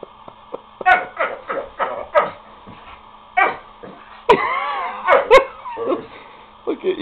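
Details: Pet dog giving an odd, funny bark to get the other dogs to play, tail wagging: a run of short yelping barks, then a longer warbling howl-like bark, amid people laughing and talking and a steady background hum.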